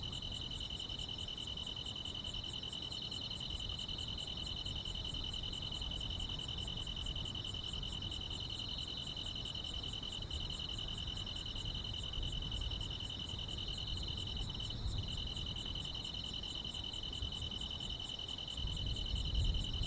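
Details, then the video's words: Chorus of grass insects on a calm summer night, an unbroken high ringing trill joined by regular sharp chirps about twice per second, low background rumble growing slightly near the end. "여름밤의 포근한 풀벌레 소리"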